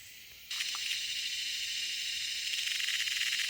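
A cicada's loud, steady buzz switches on abruptly and holds as a harsh, high-pitched drone.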